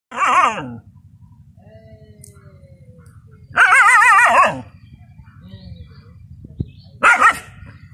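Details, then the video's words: Dogs battling a water monitor in a village field give three loud, wavering yelping barks, each under a second long, separated by quiet gaps with only faint background rustle. "dogs and water monitor fight || heavy battle"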